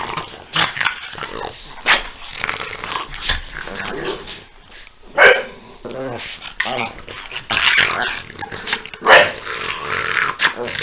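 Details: French Bulldogs Peanut and Daisy at play, trading rough growls, grumbles and a few sharp bark-like yaps spaced irregularly, with a person talking at times in the background.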